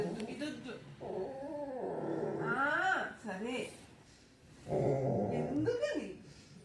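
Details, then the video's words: Pet Labrador Retriever making sounds for his sister indoors: drawn-out moaning whines that rise and fall in wavering arcs, mixed with growly grumbles, in two bursts separated by a pause, while people talk over it in Telugu. "producing sounds for his sister"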